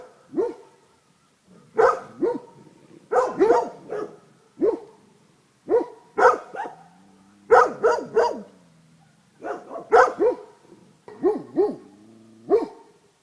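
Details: Barking of Tornjak dogs Lord and Sika Vala Liburna, Rečica, 31.07.2011: loud barks in clusters of two or three, repeated every second or so, with occasional low drawn-out whines linking some groups.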